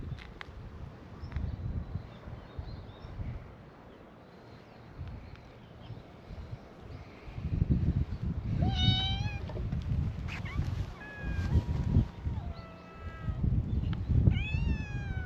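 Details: Outdoor cat gathering on a cat island in Japan, stray cats welcoming a visitor: after quiet wind-filled seconds, several cats break into short and drawn-out meows, some rising sharply, overlapping near the end over steady low rumble.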